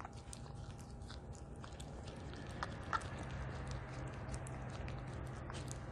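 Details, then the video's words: Ha-Roong, a two-year-old female Italian Greyhound, chews a duck neck bone, her favourite food, indoors. Soft, rapid crunching and clicking comes steadily over a low background hum, with one sharper crack near the middle. "My Dog Eats "DUCK NECK BONE" ASMR"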